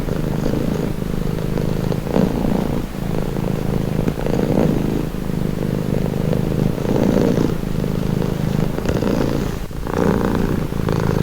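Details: Deep, even purring from a domestic cat, throbbing in regular breath cycles of about one to two seconds, with a slight rustling click near the end.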